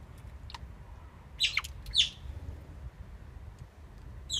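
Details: Oriental small-clawed otters building a nest at Copenhagen Zoo, recorded 17 November 2016: a few sharp, high squeaky chirps, two louder ones close together near the middle, over a low steady rumble.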